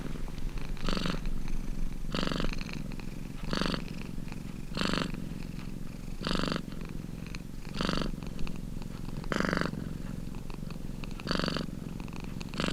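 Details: Domestic cat purring steadily, its low throbbing rumble swelling into brighter, breathy bursts at regular intervals of around one and a half seconds, about nine surges in all.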